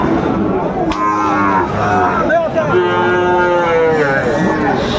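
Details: Sahiwal bull calves at a Bangladeshi cattle market serving Dhaka buyers, 20 February 2025; drawn-out lowing moos with stacked harmonics overlap through the clip amid haggling voices and steady crowd noise.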